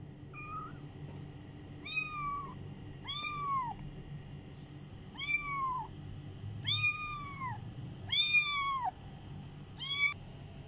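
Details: Kitten looking for its mother, meowing repeatedly: high, arched mews with rich overtones, each rising then falling, about one every one to two seconds, seven calls in a quiet room with a low background hum.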